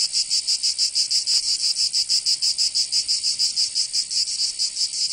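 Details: Singing cicadas during summer in Provence, southern France, producing a sharp metallic buzz broken into clear rhythmic pulses about three per second, steady and loud, alone in the recording.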